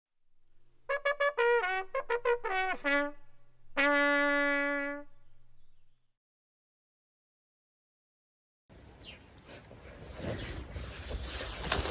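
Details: A short brass fanfare of rapid trumpet notes ending in one long held tone, then silence, then a rough windy rumble and hiss, with no animal calls heard.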